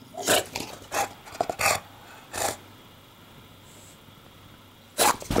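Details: English Bulldog indoors building a nest from laundry, unhappy with the camera and trying to bite it. Several short, harsh, huffing barks come in an uneven burst over two seconds, then a pause and a final loud pair.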